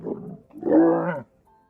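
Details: Camel call played back by Siri on request: a short grunting sound, then a longer loud groaning bellow with stacked harmonics lasting about half a second, ending abruptly before a faint tone.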